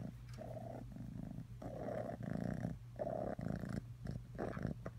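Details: Purring cat named Atreyu: a deep, vibrating rumble that swells and fades with each breath, in roughly one-second cycles with short pauses between them, close and clear.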